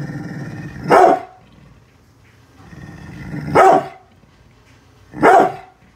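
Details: Protective brindle pit bull Bullet warning construction workers outside home: drawn-out snarling growls each ending in a sharp bark, three barks within six seconds.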